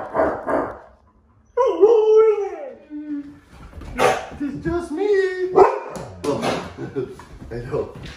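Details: Pet huskies, including the young Lola, react to a scary movie costume prank with drawn-out, wavering howl-like vocal notes that slide downward, mixed with a sharp bark and overlapping human speech and laughter.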